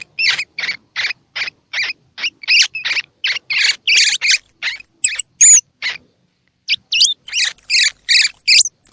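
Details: Baby squirrel calls used to stimulate feeding in young squirrels whose eyes are open or still closed: rapid rasping high chirps in a steady series, then thin very high whistled squeaks and sharp rising notes, with a brief pause.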